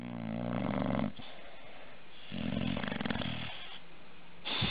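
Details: Bulldog from a compilation of funny bulldog moments: two long bursts of low, harmonic, snore-like rasping grunts, each about a second or more, separated by quieter breathing noise, indoors.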